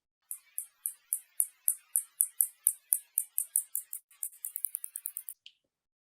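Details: A spotted bat flying overhead echolocates at a lower frequency, audible to human ears: a rapid series of high, sharp ticks.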